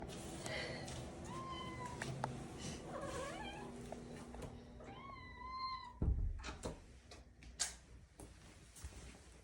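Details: A pet cat follows someone around and nags, giving a series of short meows with rising and falling tones, some drawn out, at a quiet indoor level, with a thud and small household knocks near the end.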